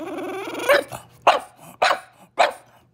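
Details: Indoor French Bulldog fussing because its owner finished a meal without sharing; a drawn-out nasal whine breaks into four sharp, throaty barks about half a second apart, with a low background hum.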